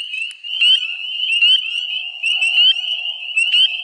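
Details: In early April, a dense, very loud chorus of male spring peepers calls to attract females at breeding pools. Piercing, upslurred peeps pile into a continuous high ringing, with fainter trills from other frogs underneath.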